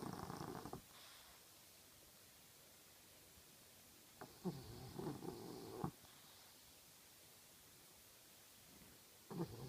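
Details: French Bulldog. A sleeping French Bulldog gives low, gravelly snores, each a rough, rattling breath lasting a second or two. Quiet gaps of several seconds fall between the snores.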